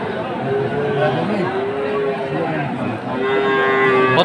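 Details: Cattle at a market in Chattogram, Bangladesh, 7 September 2024, amid the sale of Sahiwal bulls. Two drawn-out, level moos: the first runs about two seconds and the second about one second. Men's voices and market chatter continue underneath.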